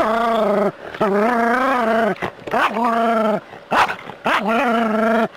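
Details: Urban Jack Russell terrier confronting a rat snake whines almost without pause: long, tonal, wavering cries broken by brief sharp yelps and gasps, rising in intensity through the sequence.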